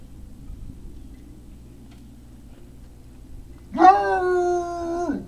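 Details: Great Dane puppies, recorded 3 May 2019 around late afternoon: after near silence, one drawn-out whining howl with a rich harmonic stack holds a steady pitch for over a second, then drops away at the end. Low background hum.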